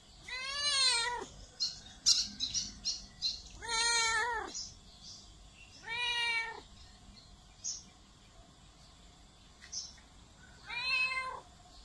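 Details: Domestic cat meows for attracting cats: four arched, wavering meows roughly every two and a half seconds, with short clicking and tapping noises between the first two.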